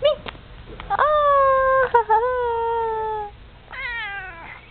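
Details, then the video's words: Pet cat meowing indoors while falling asleep: a long drawn-out meow that slowly falls in pitch, a shorter second cry, then a final descending meow. A faint hum sits underneath. "Cute kitty meowing"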